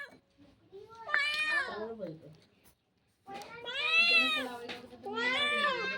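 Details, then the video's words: Domestic cat said to be in trouble, crying with long, wailing meows that bend up and then fall, two drawn-out cries after a short silence; faint background murmur. "cat 😺 in trabul cat crying sound effects"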